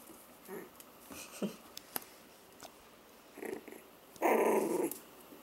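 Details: Four-week-old F1b Pomsky puppies, 75% Pomeranian and 25% Siberian Husky, give small rough growling sounds in short separate bursts, the loudest and longest coming near the end, with faint rustling and clicks between them.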